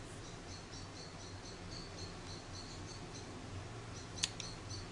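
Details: Hand-reared orphan grey squirrel Charlie, roughly one week old after falling from its garden nest, repeats thin high-pitched chirps in a regular series; a sharp click sounds near the end above a constant low hum.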